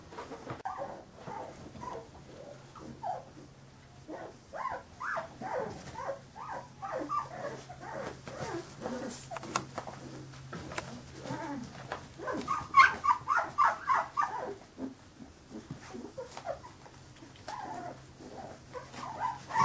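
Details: Fifteen-day-old Carolina Dog puppies whimpering and squeaking in rapid, overlapping bursts, thin wavering whines rising and falling, several pups calling at once with brief louder yelps near the middle and a faint steady hum underneath.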